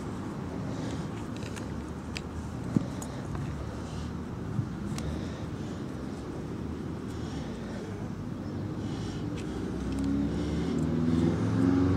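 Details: Outdoor walk beside a road: continuous low vehicle rumble, scattered footsteps and clicks, a brief faint voice, and a rising engine hum near the end, with no clear animal call.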